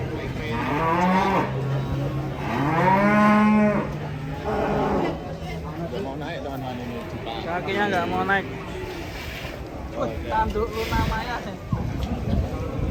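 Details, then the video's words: Cattle raging as it is about to be sold, after earlier ramming the stable door. Loud, drawn-out lowing moos fill roughly the first four seconds, then shorter strained bellows follow, with people talking throughout. "SAPI NYA NGAMUK PAS MAU DI JUAL"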